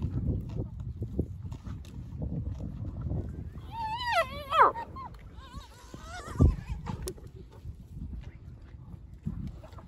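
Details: Hyenas feeding on a fresh buffalo carcass after waiting all night for lions to leave; a wavering, warbling high call rises around the middle, a shorter one follows, over steady low crunching and rumbling from the feeding.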